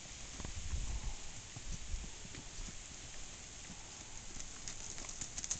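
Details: A Tennessee Walking Horse stallion's hoofbeats: dull, low thuds in uneven bursts, strongest near the start and again around two seconds, under a steady background hiss.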